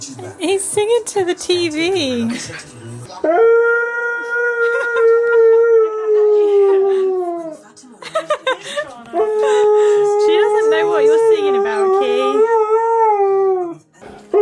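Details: Male Siberian Husky 'talking' indoors while his cousin Ivy looks on confused. Brief yips and voices open, then two long, steady, tuneful howls, each about four seconds, sliding slightly downward at the end. Laughter and people talking.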